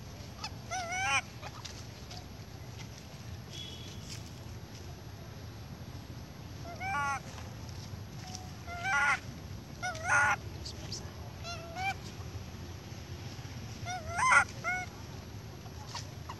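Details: A baby monkey cries in loud, harmonic squealing bursts every few seconds, reportedly wanting milk from its mother.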